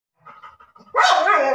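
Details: Labrador Retriever pet dog: soft, low, broken murmurs for under a second, then one loud, harsh, rough bark that holds until the end.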